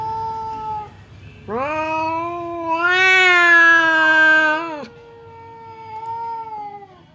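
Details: Domestic cat, the fierce Temon, facing quiet Lelo through a divider as if about to fight: a long, loud, harmonic yowl swelling and holding for about three seconds, with softer drawn-out wails before and after.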